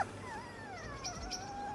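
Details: A very young Chihuahua puppy, found alone with food, water and a bed during an RSPCA rescue, whines in thin, wavering tones that slide slowly downward, likely seeking attention.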